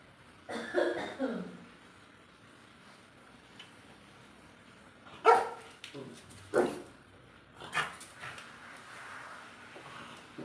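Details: A small household dog barks while chasing away a cat, giving scattered short, rough barks spread across several seconds, with people talking in Bengali and household clatter around it.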